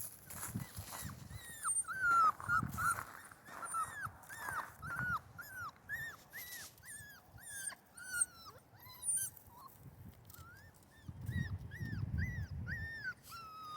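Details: Central Asian Shepherd Dog puppies crying in cold, windy weather: thin, high whimpers arching up and down, several per second in uneven runs, over a low rumble of wind.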